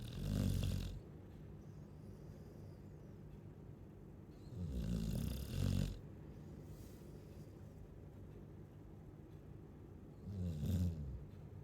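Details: A sleeping Chow Chow snores in three long, low, rasping breaths spaced about five seconds apart, each with a rattling rumble, separated by quiet pauses.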